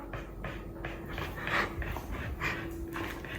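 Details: Pet Border Collie named Xika, a dog living at home, breathing in quick rhythmic pants, a steady series of short breathy huffs roughly every third of a second, with a faint steady hum in the background.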